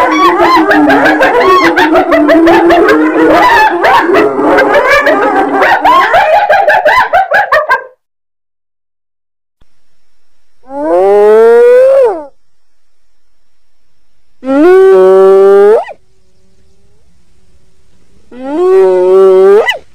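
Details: Loud, crowded hyena cries for about eight seconds, then a pause and three long, upward-sweeping tonal calls spaced roughly four seconds apart.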